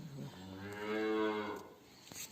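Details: A Simmental cow on a Turkish farm, during a heat and insemination process, gives a single drawn-out moo that swells and fades over about a second and a half, quieter background after.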